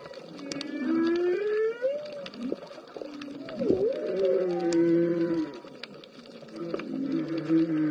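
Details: Humpback whales calling underwater while a green sea turtle swims above a school of bigeye trevally: moaning, sliding tonal calls, some rising and some falling, overlapping, amid constant underwater hiss and clicking crackle.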